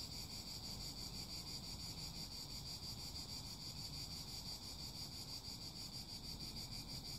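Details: Cicadas singing in a dense, steady high-pitched shrill drone with fast pulsing, over a constant low rumble of wind-like noise.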